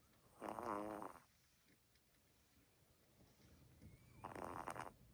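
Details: Snores of an albino Bichon Frise puppy: two rough, buzzing breaths about four seconds apart with a faint whistle between them, quiet room behind.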